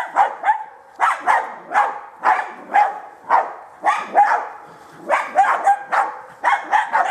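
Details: Baying German hunting terrier in wild boar training, giving rapid, insistent barks, often in quick pairs or triplets, about fifteen in seven seconds, some with a yelping, rising edge.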